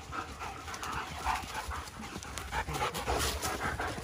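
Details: German Shepherds, ten dogs playing together, panting: quick breathy puffs repeating about two to three times a second, continuous and uneven, over steady rustling noise.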